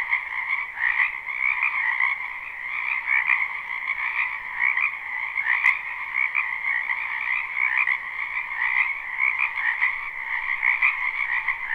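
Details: Spring frogs in a backyard wetland, captured live with no looping, keep up a thick continuous croaking chorus of rapid overlapping trills in two steady layers, with one brief sharp click near the middle.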